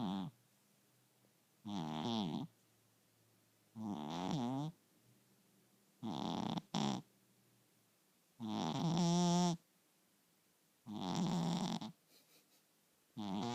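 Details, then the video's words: HooRah, a pet cat, snoring while asleep indoors: six rough, harmonic breaths of about a second each, coming roughly every two seconds with quiet gaps between, one ending in a short double snort. "Snoring Cat"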